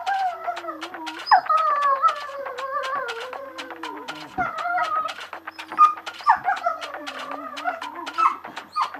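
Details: Dog singing, with music playing: wavering whining howls that slide up and down through the clip, mixed with rhythmic clicking beats of the music.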